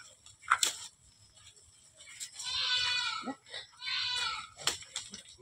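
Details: Goats on a farm with more than a hundred animals, bleating twice in wavering, buzzy bursts of about a second each, separated by short pauses, with human voices and scattered handling noises around them.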